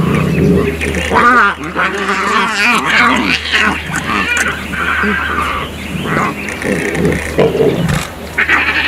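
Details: Lion cubs bicker and scream during a nursing commotion with their mother, the Kambula lioness, in Mala Mala Game Reserve, Africa. Rising and falling harmonic wails and rough growls alternate in bursts, with a low vehicle hum beneath.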